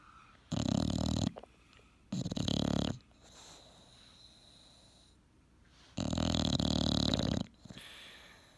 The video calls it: Otis the English Bulldog snoring